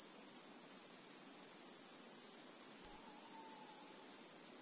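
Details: Grasshopper song: a dense, very high-pitched hissing buzz held without a break, with a fast throb about four times per second and a faint thin tone rising briefly in the middle.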